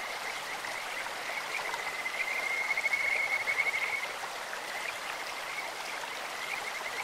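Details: Kajika frog croaking in a mountain stream, a single bright trill of fast repeated whistle notes swelling and fading over about two seconds against constant babbling water.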